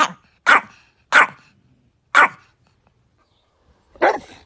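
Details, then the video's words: Dog barking in a small room: four loud clipped barks in quick succession within about two seconds, a pause, then a fifth rougher bark. "Top funny bark sounds battle! Who's the loudest?"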